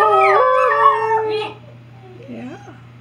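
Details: Alaskan Noble Companion Dog pups with agouti coats, two females and a male from one litter, howling on command: loud, drawn-out wavering howls with overlapping voices for about a second and a half, then fainter sliding whines and brief yelps.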